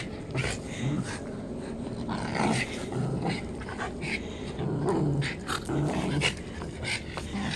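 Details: Angry Japanese Spitz growling in low, rumbling bursts, with a few short higher yelps and whimpers breaking through across the clip.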